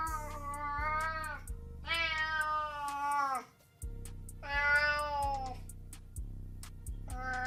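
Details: Cat giving three long, drawn-out meows, each sustained for about a second and slightly wavering in pitch, separated by brief pauses, with rhythmic background music throughout.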